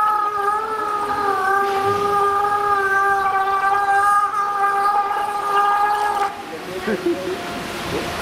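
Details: Walruses at Pairi Daiza zoo giving a spontaneous whistling concert: one long, steady whistled tone with stacked harmonics holds for about six seconds, then breaks off, leaving faint scattered background noise.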